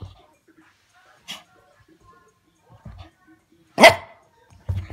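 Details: Shih Tzu dog going crazy, giving a few short, sharp barks separated by quiet gaps, the loudest a harsh burst near the end, with faint low thumps between.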